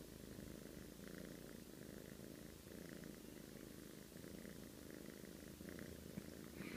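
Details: Snoring from a sleeping cat, a constant throaty rumble with faint rasping accents recurring about every second or two, ending in a slight louder rustle.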